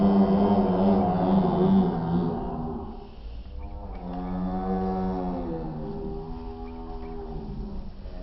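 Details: Goats at the Shankhla goat farm in Nawa City, Nagaur, Rajasthan, giving drawn-out, wavering bleats with a rich harmonic tone. The first call is louder, and a steady low hum runs underneath.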